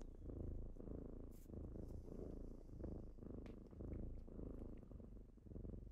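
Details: Morning purring from kittens waking someone up. A deep, continuous rumble rises and falls with each breath, roughly once a second, with occasional small taps and rustles close by.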